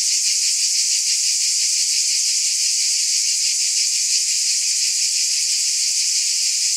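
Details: Unbroken shrill cicada buzz, a hissing wall of sound held at an even loudness, with faint fast throbbing and nothing else audible.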